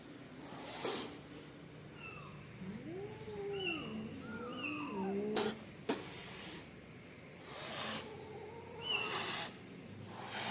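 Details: A frightened kitten gives short breathy hisses and spits between thin, arching mews; the hissing signals fear and a warning, not aggression.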